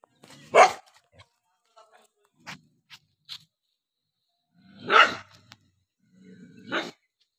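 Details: Dog barking angrily while eating: three loud, rough barks spaced about two seconds apart, with small clicks and faint noises in between.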